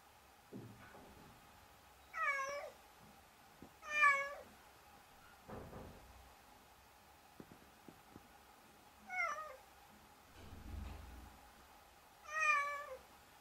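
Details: Several drawn-out meows from a handsome cat, spaced two to three seconds apart and varying in length, with soft knocks and thumps between them indoors.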